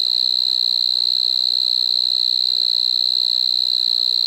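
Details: Striped marsh-cricket singing at Maggia, Switzerland, on 1 September 2023: an unbroken, high, shrill trill held at one steady pitch with a faint upper overtone, loud and even throughout with no other sounds.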